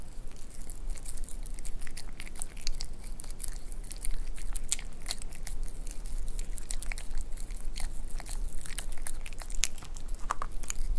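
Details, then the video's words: White Pomeranian male dog eating warm beef rib soup made as safe pet food, indoors in a small room; wet biting and chewing clicks in quick irregular bursts, crisp crunching throughout. "ASMR강아지 한우 갈비탕 먹방 Eating Sounds"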